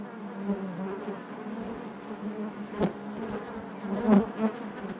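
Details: Constant hum of a crowded honey bee colony within the hive, steady layered buzzing with a sharp tick partway through and a close bee droning louder near the end.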